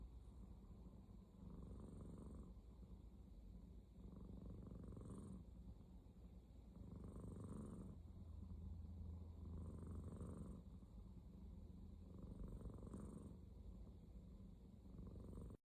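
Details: Snoring from Aya, a female domestic cat: a gentle, low, purring rumble rising and falling with each breath, about five slow breath cycles in a row, some with a slightly airy hiss on top, in a quiet room.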